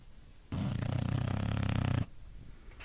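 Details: A lazy female English bulldog, asleep, snores with a deep, rattling rumble that lasts about a second and a half.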